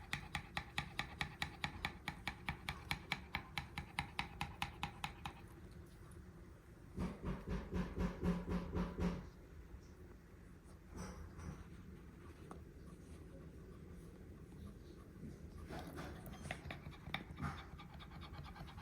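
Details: Pekingese named Pote breathing hard after a walk, the rhythm likened to an idling motorcycle engine: rapid, even pulsed huffs for about five seconds, a louder dense burst around seven to nine seconds, then quieter, irregular breaths.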